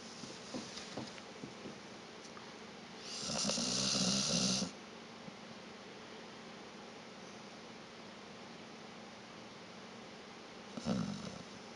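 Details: Vita, a sleeping dog, snoring indoors: one long rasping, noisy snore of about a second and a half, then quiet breathing, with a second shorter snore near the end.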